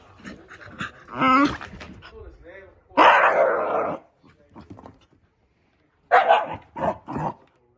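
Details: An angry Shiba Inu lets out loud, harsh barks and throaty yelps at a favourite plastic bottle cap that fell under the sofa, over background television sports commentary.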